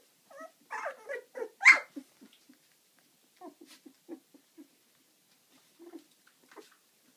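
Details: Eleven-day-old puppies moving about, giving loud squeaky whimpers and whines in quick bursts, some rising then falling, followed by softer short squeaks and shuffling in an otherwise quiet room.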